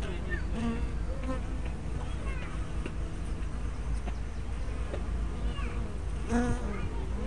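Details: Softer hum of honey bees at a hive entrance, 24 May 2012, from a small spy camera with fisheye lens: a low drone broken by brief passing buzzes that slide in pitch as bees fly past.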